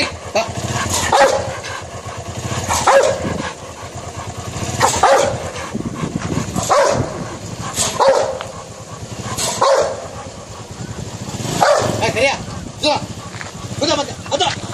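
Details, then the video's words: Barking from a Rottweiler during an attack on a man in India: steady deep barks spaced about every one to two seconds, over vehicle noise and faint voices. "Rottweiler Attack"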